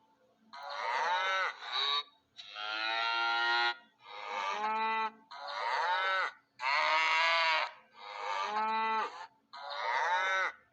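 A cow gives a run of loud, nasal moos, each about a second long, with short pauses between.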